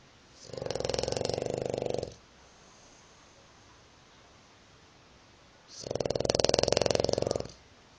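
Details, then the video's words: A dog snoring like a pig, two long rattling snores each near one and a half seconds, separated by about four seconds of quiet breathing, the second snore slightly louder; no other sounds. "Dog snoring like a pig"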